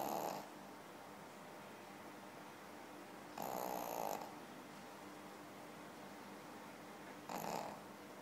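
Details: Pekingese dog snoring while asleep: three noisy, raspy breaths with a hissing top, spaced about three to four seconds apart over a quiet indoor background.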